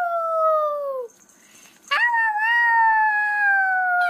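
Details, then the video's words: Howling puppy: a long, steady, slightly falling howl, a brief quiet pause, then a second sustained howl that starts with a sharp rise and slowly slides down. "CUTE PUPPIES HOWLING"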